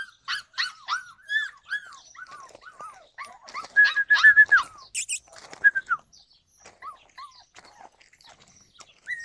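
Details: Yakutian Laika, July 2020: a run of quick high arched yelps and barks, loudest around the middle, then thinning out into sparse, fainter yelps with long pauses.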